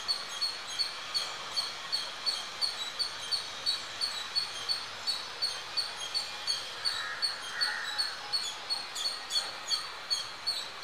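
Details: An Indian palm squirrel near a home gives rapid, high, bird-like squeaks, nearly three each second, over steady outdoor hiss.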